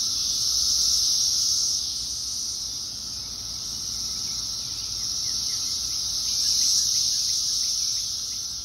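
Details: Thousands of Brood X periodical cicadas in a tree in Fairfax, Virginia, in 2021 fill the air with a steady, high, hissing drone that slowly swells and fades.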